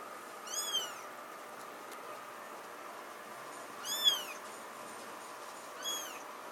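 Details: A mother cat together with her kittens; three thin, high-pitched mews that rise and fall in an arch, spaced irregularly a few seconds apart over steady low background hiss.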